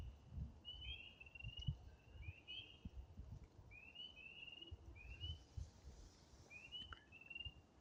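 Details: In spring woods by a stream and vernal pool, spring peepers, just arrived shortly after the wood frogs, give short, high, rising peeps. A few overlapping callers form a chorus that thins as they quiet when approached.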